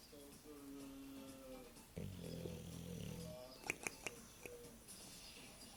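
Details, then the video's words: English bulldog snoring, filmed in Bijeljina in May 2012; a low droning, buzzy snore of about one and a half seconds, preceded by faint higher tonal sounds and followed by a few sharp clicks. "English bulldog Churchill snoring"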